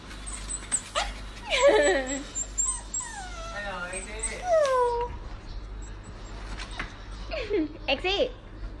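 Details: Samoyed sitting in a box, giving several drawn-out, descending whining moans and whimpers spaced a few seconds apart, with faint voices and a low steady hum in the background.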